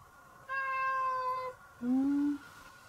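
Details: Affectionate domestic cat meowing at its owner, in a home with a Chihuahua dog. There are two clear meows: a long, level, slightly falling whine, then a short, lower, rising-flat mew after a brief pause. The background is quiet.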